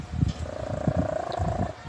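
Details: A sleeping cat snores in low, rasping pulses, several per second, over a faint steady hum.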